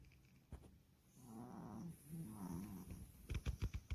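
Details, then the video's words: A Maltese puppy snores while tired after a trip to Wonju. Low, rumbling, throaty snores swell in the middle, then give way to a quick run of short clicking snorts near the end in a quiet room. "원주 갔다와서 피곤해서 코고는 귀여운 마티즈 심포니 Snoring puppy."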